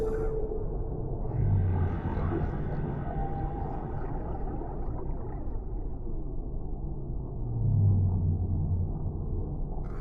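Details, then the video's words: Deep-sea whale calls in a soothing ocean ambience: two very low, drawn-out moans swell near two and eight seconds, surrounded by continuous dense rumbling water noise. "Suara Relaksasi Paus di Laut Dalam , Relaxing Sounds of Whales in the Deep Sea"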